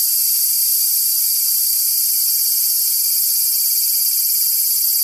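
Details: A cicada close by gives a loud, steady, high-pitched buzz that holds unbroken throughout, while a cat tries to get as near to it as possible.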